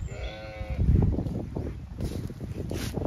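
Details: A female Zwartbles hoggett on a County Kilkenny, Ireland farm gives one short, quavering bleat. She is eating ivy and seems stuck in a fence, then is freed amid low rustling and handling noises.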